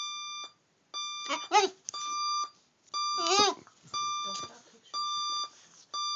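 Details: Dog answering an alarm clock with two brief, quavering howls that swoop up and down in pitch, set between bursts of the clock's loud, evenly repeated electronic beeps in a small room.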